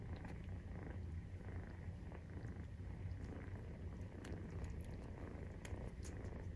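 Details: Maine Coon purr recorded during nursing, kitten 43 days old; dense low vibrating rumble without pause, occasional tiny clicks and fabric rustles.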